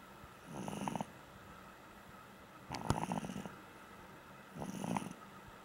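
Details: Sleeping pug named Duggie letting out three slow raspy snores about two seconds apart, low and rattling, against a quiet indoor background.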